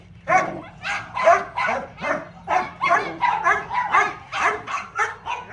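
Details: Little dog at playtime yapping in quick, bright, ringing bursts, about two every second, each bark sharp and high with a tonal edge, ten or so in a steady run.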